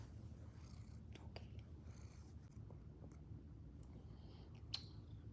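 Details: Cat trying to get comfy while its owner works from home, purring in a steady, low, continuous rumble with faint rustles and clicks, and a woman talking softly nearby.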